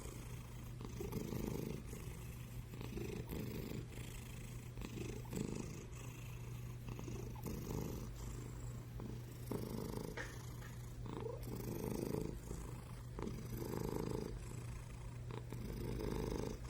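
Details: A black-and-white cat purring loudly in its sleep, like thunderous snoring: deep continuous rumble that rises and falls in slow breaths roughly every two seconds, over a low steady hum.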